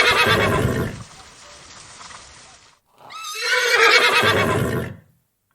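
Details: Horse. A horse lets out a loud, quavering neigh: a burst of harsh, fluttering sound, a brief pause, then a rising whinny that trembles and falls away. No other clear sounds accompany it.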